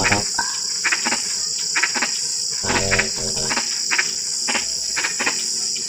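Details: Frogs calling in drizzling rain: short, broad clicking croaks repeated irregularly, with a stretch of harmonic, rasping croaks near the middle, over a steady high insect drone.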